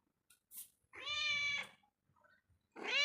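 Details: Moving about inside a home, a cat utters a drawn-out, steady meow lasting about half a second, then begins another rising meow, with small soft taps between calls.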